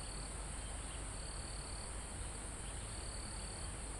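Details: Crickets chirping in a forest near a mountaintop: three high, sustained trill bursts separated by brief pauses, set against a steady high-pitched insect drone and soft wind in the trees.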